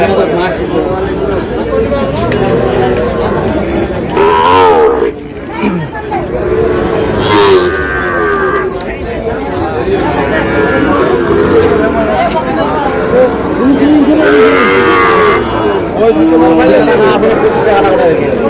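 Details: Sahiwal bull calves at a market where a Dhaka farmer buys stock on 8 July. Frequent overlapping moos, several short and some longer with bending pitch, rise from a dense herd amid steady crowd noise and greetings.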